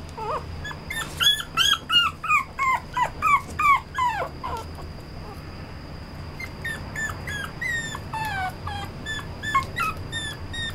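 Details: Red-coated male Toy Poodle giving a rapid run of high, harmonic whimpers and yelps, several per second, with bent, falling pitch; loud during the first four seconds, then softer, thinner whines continue over a steady background hum.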